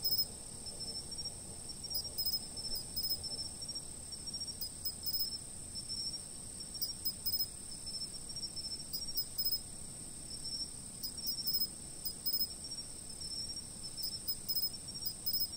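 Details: Fixed-camera night chorus of insects. A constant piercing trill holds steady from start to end, with repeated groups of fast, ticking chirps breaking in every few seconds over a faint low rumble.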